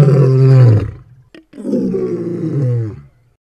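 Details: Lion roaring: two long, deep, rumbling roars, each sustained for about a second, separated by a brief pause with a short click between them.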